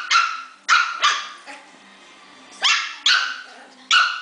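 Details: Puppies fighting, producing high-pitched yelping barks, five or six sharp bursts spaced irregularly with short pauses between.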